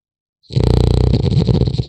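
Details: French Bulldog puppy asleep, one long rattling snore starting abruptly, a low throaty buzz with fast fluttering pulses lasting well over a second.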